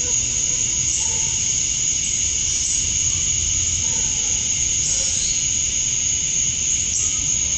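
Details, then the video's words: Male cicadas chirping to attract females at dusk on a summer night in Georgia, USA, outdoors: a steady, dense high-pitched shrill drone with a bright whining band, continuous throughout, a few faint lower notes underneath. "Cicadas at Dusk, Summer Night"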